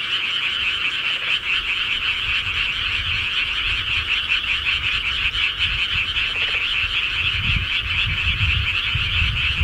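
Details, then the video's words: Rural frogs at night form a thick, unbroken chorus of fast pulsing croaks, with faint low rumbles now and then beneath the steady high trill. "시골개구리 소리"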